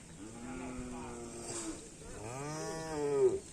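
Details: Promising young karapan racing bull in training at the Asemanis field giving two separate moos, the first long and level, the second louder with a rising then falling contour, against steady outdoor background noise.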